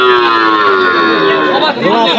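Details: Cattle at a crowded cattle market in Bogura, Bangladesh: one long, steady, slightly falling moo lasting about a second and a half, followed by a fainter trailing bellow, with background voices of the market.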